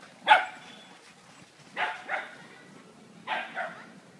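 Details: Playful barking from Shiny the Beagle: one loud sharp bark, then two pairs of quick double barks spaced about a second and a half apart.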